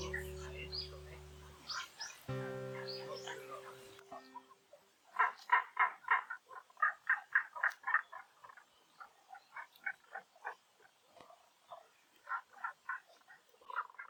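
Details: Frogs calling at Honen-in temple in Kyoto, Japan, while cherry blossoms are in full bloom; gentle piano music fades out in the first four seconds, then rapid, knocking croaks follow in irregular bursts of several notes.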